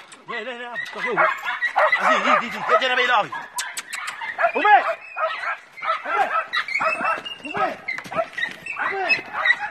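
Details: Five-month-old Jack Russell Terrier puppies on a wild boar hunt, a pack giving overlapping high yelps, whines and barks in rapid, excited bursts throughout, with a few sharp clicks.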